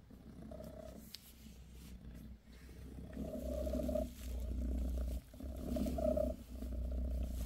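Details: Low, pulsing purr from Bassy, a British Shorthair mother cat caring for her kittens, quiet at first and then swelling into three louder rumbling breaths, each cut by a brief pause.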